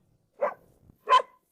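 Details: Domestic dog on a farm in cold weather, barking for no reason and lacking courage to fight while being scolded; two short barks, the second louder and more tonal, about 0.7 seconds apart.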